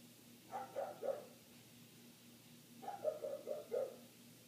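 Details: Muffled barking from a neighbour's dog, heard indoors with the windows closed: one group of three short barks, a pause of over a second, then a rapid run of four barks, over a steady background hum.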